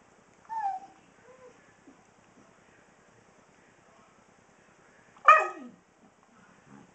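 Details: Senior Husky, 16 years old, vocalising before dinner as he does every night: a soft short whine early on, scattered faint murmurs, then one sharp falling yelp-like cry near the end in a quiet room.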